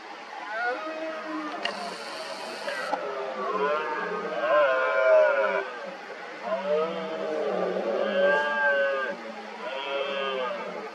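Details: Many red deer stags roaring in the 2023 rut as smaller rivals challenge an injured dominant stag: overlapping, wavering, harmonic roars from several animals run almost continuously, rising and falling in pitch, with a brief hiss early on.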